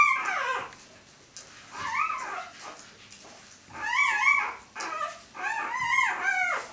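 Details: Newborn Siberian Husky pups in Kharkiv, Ukraine, on their fourth day of life, squeal while feeding. Thin, wavering whines come in bursts, sometimes overlapping as if from several pups, with a quieter stretch in the middle and faint snuffling underneath.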